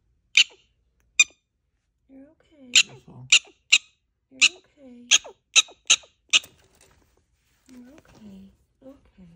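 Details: A prairie dog gives her predator warning call on seeing a hawk or eagle: about ten sharp, high chirps spaced irregularly half a second to a second apart, with soft lower squeaky murmurs between.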